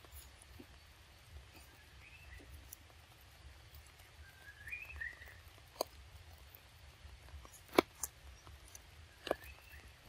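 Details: Little baby monkey Lexi, cold and shaking its body under the rain, gives faint high whimpering squeaks that rise and waver, in two short bouts, amid scattered sharp taps and clicks and a low background rumble.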